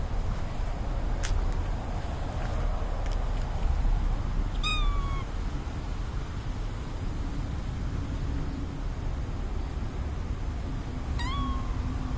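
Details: Outdoors in Japan, a young white and black community cat calls for attention while rolling on the ground; two short, falling meows several seconds apart over constant low rumble and a few clicks.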